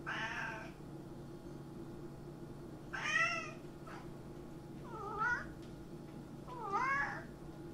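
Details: House cat meowing five times over about seven seconds, some calls drawn out and wavering, others short and rising, against a continuous low hum.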